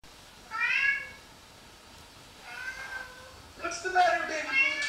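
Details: Domestic cat roused from sleep by another cat's voice, responding indoors and seemingly spooked; drawn-out harmonic meow, then quieter one and a cluster of sharper cries, with a woman's soothing voice.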